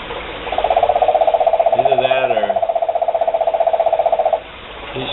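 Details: A female frog in Bugaba sings a long, steady, rapidly pulsed monotonous trill at one pitch, with a person's voice briefly over it.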